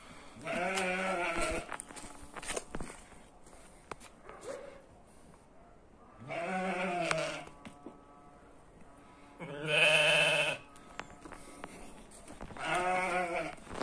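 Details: Twin-born ewe lamb giving four wavering, nasal bleats of about a second each, spaced roughly three seconds apart, the third the loudest, with quiet rustling in the gaps.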